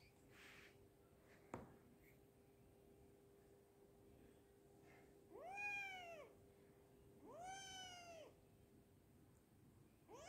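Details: A kitten at home gives two drawn-out, arching meows about two seconds apart, each rising then falling, over a faint steady hum in an otherwise quiet room.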